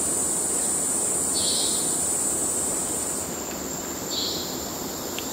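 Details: Kerala cicadas, the males calling for courtship: a strong high-pitched steady drone that drops in tone partway through, with two short hissing bursts.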